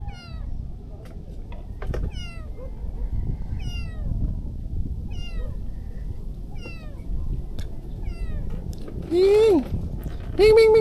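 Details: Hungry stray kitten being fed fish, giving a steady series of short, downward-sliding high meows roughly every second, then two louder, longer cries near the end, with a person calling softly over outdoor background noise.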